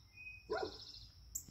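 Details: Pet dog in a garden, alerted by its owner to a wild deer, barking to chase the deer off the property; one short sharp bark, then quiet, with a steady high whine running through.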